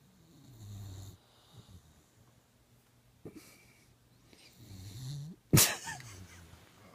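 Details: Sleeping boxer puppy Dakota, eyes open, gives low nasal snores and wheezy breaths, with a sharp knock near the end and faint human voices.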